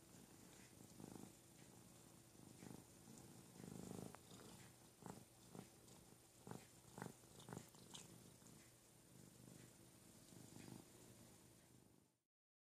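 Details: Ruby the cat purrs as her big 'brother' Lugosi grooms her indoors: a continuous low purr throbbing in repeated pulses, broken by crisp licking clicks near the middle, fading out at the end.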